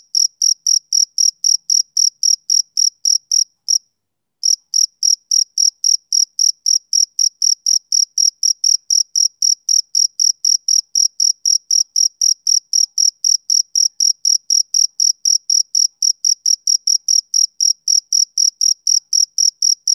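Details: Male cricket on a summer evening keeps up a long run of rhythmic, high-pitched chirps, about four per second, with one brief gap near the fourth second before the steady pulsing resumes.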